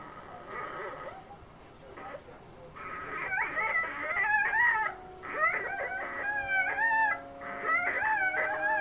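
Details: Three-day-old female Siberian husky puppy being loud while eating, littermates asleep nearby: repeated squeaky, wavering whines and yelps, some rising and falling, in bursts over several seconds, with faint background hiss.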